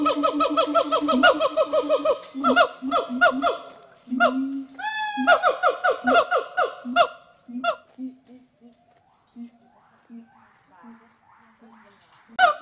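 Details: Loud series of rising whoops from rescued gibbons at the WFFT rehabilitation forest in Thailand, interrupted by a long upward-swooping note, then fading to softer, sparser hoots and a final sharp call.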